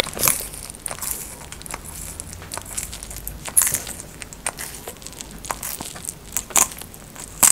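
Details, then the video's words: Close crunching and crackling as a tortoise feeds, with bites of uneven spacing, roughly seventy per minute, some louder snaps standing out above a soft crinkling background. "ASMR TORTOISE l EATING SOUNDS"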